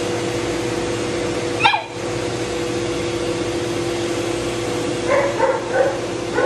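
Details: Shih Tzu being dried, a matted dog that bites when in pain: a single sharp, falling yelp, then a short burst of quick, wavering whines near the end, under the continuous noise of a grooming dryer.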